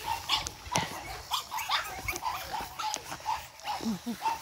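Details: Charm's litter of 8-week-old Boston Terriers, energetic puppies, giving rapid high squeaky yips and short whines, several overlapping, about two or three per second with brief gaps.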